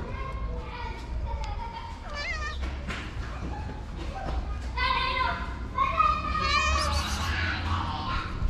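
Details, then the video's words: A male cat resting his feet on a person's knees, asking for love and food, gives several drawn-out, wavering meows, the clearest near the end, over a steady low rumble and human voices. "Cute Cat Puts His Feet On My Knees For Love And Food."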